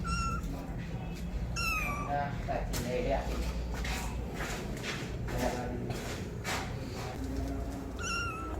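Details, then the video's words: Kitten meowing loudly for its mother, several high, slightly falling cries, two close together at the start and another at the very end, with knocks, rustling and low indoor hum between them. "Kitten meowing sound loudly for Mom"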